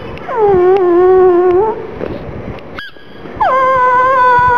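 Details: Gong Fu the black pug, mascot companion of rottweiler Poncho, whines in sorrow for its little ball: a steady, clear, nasal whine over a second long, a short squeak, then another held whine starting with a rise.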